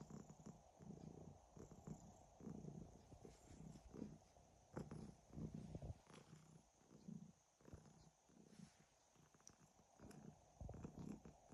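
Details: Domestic cat snoring and purring: continuous low, buzzing rumble rising and falling with each breath roughly every one to two seconds, soft and intimate, over faint background hiss.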